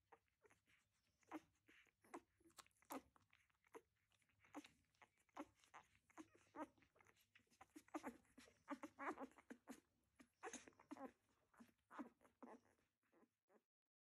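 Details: A litter of week-old puppies in the whelping box, 2021: soft squeaks and short whines mixed with wet clicking, snuffling and rustling, as if nursing or crawling, dense and irregular throughout, ending in silence.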